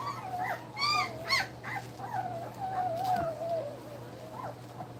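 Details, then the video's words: Two-week-old puppies nursing indoors: high, thin whimpering squeals that rise and fall, several bunched together at the start, then one long wavering whine drawn out across the middle, with a steady low hum behind. "2 week old puppies nursing"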